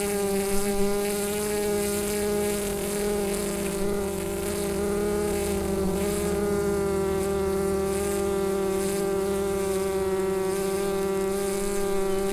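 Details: Continuous hive hum from a colony of bees, recorded on a Rode NT-USB microphone; an unbroken, even buzzing drone with rich overtones and a faint airy hiss above, no other sounds.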